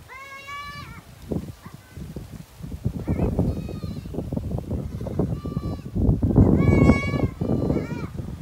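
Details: Goat mating, bleating repeatedly: a level nasal bleat, then several shorter trembling bleats clustered near the end, set against loud low rumbling and handling noise.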